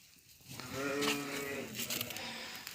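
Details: Lamb in a village flock on an evening around feeding and suckling time, giving one clear, wavering, mid-pitched bleat lasting about a second, with faint background noise and a rustle afterward.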